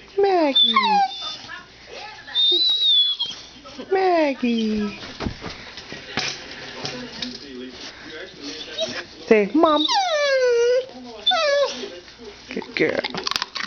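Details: Pet dogs Annie and Maggie in a messy room, Maggie trained the same day to say "mom": a series of sliding, descending whines and high yips, loud bursts separated by short pauses, with human speech mixed in.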